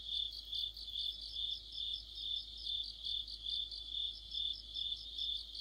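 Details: Crickets singing in deep autumn near a streetlight, a bright high trill with evenly spaced pulsing chirps, several callers blending into one ringing chorus.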